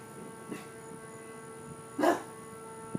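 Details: An upset English bulldog, running on a porch, gives a single gruff, throaty bark at a running lawnmower, whose steady mechanical hum continues beneath.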